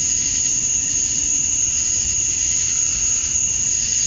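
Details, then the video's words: Summer dusk chorus of male cicadas in Georgia, USA, calling to attract females: a constant shrill hiss with a bright sustained high tone that holds level throughout, over a soft low murmur. "Cicadas at Dusk, Summer Night"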